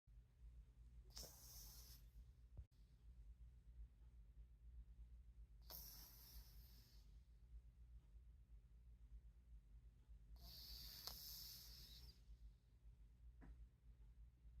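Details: Midnight, a male pet cat napping on his chair indoors, snores softly: three breathy, hissing exhalations about every four and a half seconds over a steady low hum, with quiet pauses between breaths.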